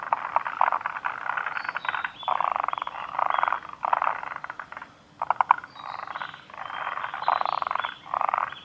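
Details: Chorus of forest green tree frogs at Kawaguchiko Field Center, Japan, recorded 2 June 2019; rapid rattling croak bursts repeat roughly every second, several frogs overlapping, with a brief pause near the middle.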